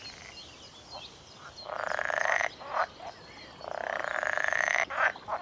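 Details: On a sunny early morning at a secret reintroduction pond in Norfolk, UK, male northern pool frogs (Pelophylax lessonae) give rapid, rattling croaks in long bursts. They call from warm mid-pond areas in May–June with vocal sacs inflating, to attract females.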